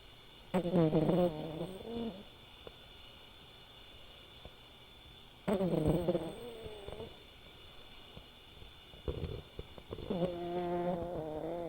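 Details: Sora, a five-year-old male silver tabby American Shorthair cat, snores while asleep. Three tonal, honking snore breaths come low and buzzy, each lasting about one to two seconds, with quiet pauses between them.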